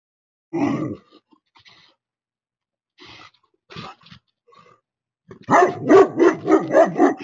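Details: Anatolian Shepherd livestock guardian dog and Great Pyrenees warding off a coyote at a goat corral; a single bark, a few faint sounds, then a rapid run of deep barks, about five in under two seconds.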